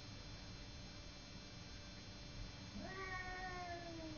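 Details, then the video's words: Pet cat Simba in a fight with the neighbour's cat: steady low background hiss for most of the stretch, then a wailing yowl starts near the end, gliding upward and holding on, partly masked by the noise. "Simba fighting with neighbour cat"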